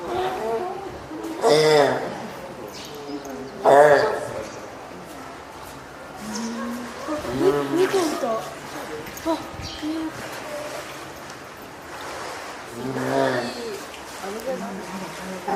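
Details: Spotted seal baby, a female being hand-reared at Oga Aquarium, 9 May 2017, calls to her keeper, seemingly hungry or eager to climb onto land; four loud, harmonic, wavering cries at irregular intervals, with voices between.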